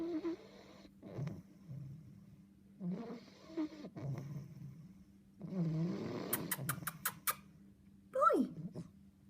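An English Bulldog puppy snores in rough, rumbling breaths with wheezy snorts between them.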